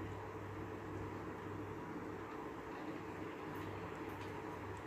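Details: Steady low indoor hum and rumble with a faint broadband hiss throughout, and no animal voice heard.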